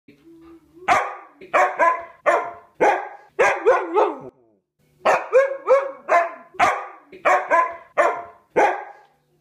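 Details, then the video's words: Siberian Husky "singing" along to the Christmas song Deck the Halls, producing a rhythmic series of about fourteen short, yodeling woo-woo barks in two phrases, each sliding in pitch, with a faint hum before the first. "Husky Sings Christmas Song"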